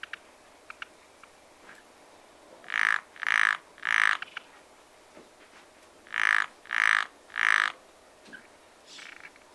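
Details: Springtime pond frogs giving harsh, raspy croaks in two runs of three evenly spaced calls, with faint clicks and distant chirps between the runs, in a calm outdoor setting.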